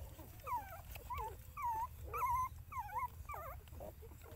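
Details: Mother dog with her puppies, the pups giving repeated high whimpering squeals that rise and fall in wavering arcs, about two per second, over a low steady hum.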